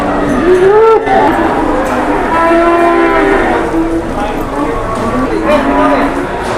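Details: Jumbo cow paraded around while waiting for a buyer: several overlapping, drawn-out lowing calls with wavering pitch, one bending upward near the start, over a steady background murmur of voices.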